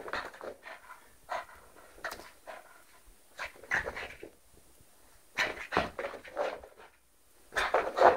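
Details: French Bulldog named Lolo, indoors, said to be attacking its people: irregular short huffing barks and rough panting bursts, some grouped in quick runs with pauses between, in a small room.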